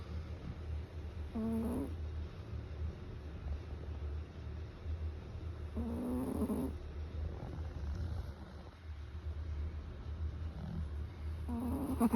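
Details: A sleeping Chihuahua gives brief, throaty snores about every four to five seconds, three bursts in all, against a constant low background hum.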